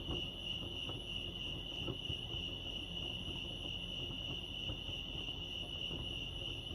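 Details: Crickets chirping at Lake Arrowhead, California: a steady, high, pulsing trill that runs unbroken through the whole stretch, with faint overtones above and a soft low rumble of background noise underneath.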